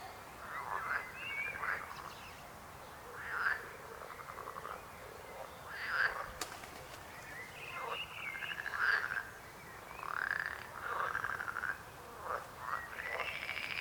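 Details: Scattered frog croaks, short rasping bursts every second or two with overlapping callers, broken once by a sharp click.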